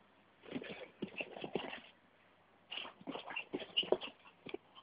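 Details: Vixen, a micro Miniature Pinscher, playing with a hand indoors: two runs of quick, breathy huffs and snorts, rough and noisy, separated by a short pause, with a few sharper snuffles near the end.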